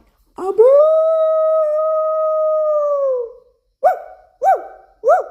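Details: A Bangkaew dog and a Rottweiler howl along with their owner's voice: a long, steady, tonal howl, then three short rising-and-falling yelps.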